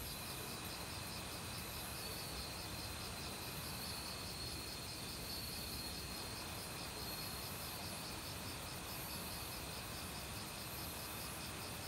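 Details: Autumn crickets calling in a forest among various other insects, recorded without professional equipment: steady pulsed high chirping trains and a continuous high tone over the loud, broad rush of a mountain stream.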